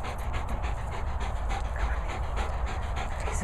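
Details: A Labrador Retriever named Ziggy pants in quick, steady breathy bursts, several each second, with a low rumble of background noise underneath.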